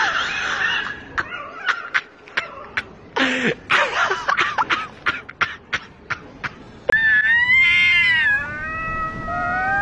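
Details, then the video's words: Cat fight with a rapid run of sharp clicks and thumps, brief harsh screeches, then a loud wavering wail that rises and dips before settling into a long, steady, strained howl. "Real Cat Fight"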